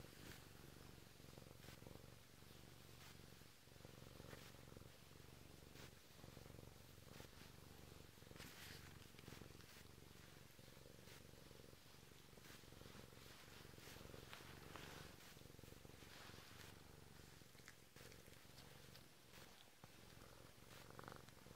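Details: A Bengal cat purrs steadily as its owner wakes up, a low continuous rumble with a soft rhythmic pulse.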